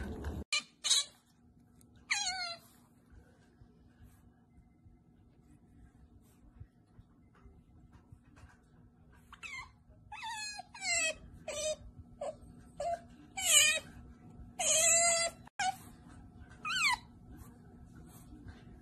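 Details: Otter named Sarah making cute pamper noises while being pampered, with high, squeaky, wavering chirps coming in irregular bursts, some short and some drawn out, separated by quiet pauses, over a steady low hum.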